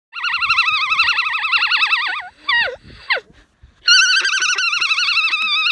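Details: Female alpaca on a farm in County Kilkenny, Ireland, giving what is called her opera song: long, high, strongly wavering warbled notes, then two short falling squeaks, a pause, and another sustained quavering note.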